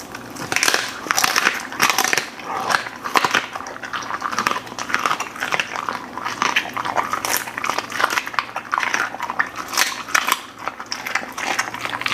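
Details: Indoor Golden Retriever eating a mixed meal of beef lung, chicken breast, thin steak, double duck heads, flying fish and freeze-dried treats, with dense, continuous crunching and wet chomping bites, loud and rapid throughout.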